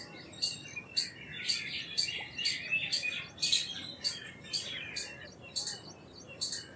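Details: Indian palm squirrel giving a run of piercing, bright chip notes roughly twice a second, each short and high, over faint background chirping from other birds.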